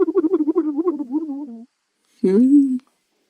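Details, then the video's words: Porcupine chatter: quick pulsed stuttering notes, about a dozen in rapid succession, ease into a falling whine. After a pause, a harsher nasal moan with a crackly start holds steady for about half a second. "the PORCUPINE SOUND"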